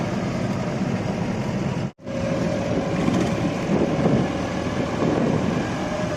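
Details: Loud idling truck engine drones throughout, with a brief dropout near two seconds and a faint steady tone afterwards, but no audible animal.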